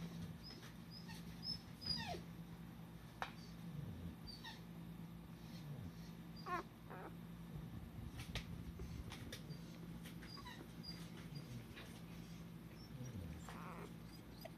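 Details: A male Cardigan Welsh Corgi puppy gives faint, thin, high squeaks and soft whimpers, scattered every second or two over a steady low hum indoors.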